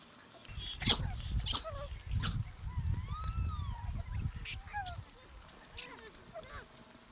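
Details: Simien gelada baboons, Ethiopia, autumn 2015. Low gusty rumble and knocks, with a long arching moan near the middle and short bent honks and chirps from several animals scattered through.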